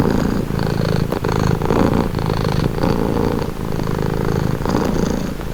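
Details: Close, steady purring of a pet cat, meant as a calming sound: low throaty rumble swelling and easing with each breath, roughly once a second, in a quiet setting.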